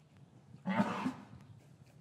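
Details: Cow in an English cattle yard on a winter afternoon, after the calves were separated from their mothers. One short, loud, rough bellow with low harmonics over a steady farm hum. Recorded with a matched pair of Rode M5 microphones.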